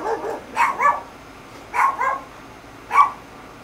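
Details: Barking from neighbours' dogs, a Chihuahua among them, kept up all day and night in Guatemala; short high yaps in quick pairs, then a single bark, roughly a second apart, against a faint hum.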